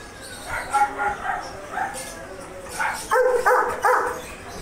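A Labrador Retriever gives a run of sharp, harmonic barks in quick uneven bursts.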